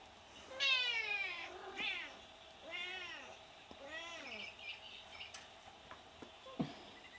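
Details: Five-week-old Ragdoll kittens, bicolour, mitted and colourpoint, indoors in a newly furnished kitten room, giving several high, arched meows, the first long and strained, then shorter rising-falling mews, with soft clicks and rustling.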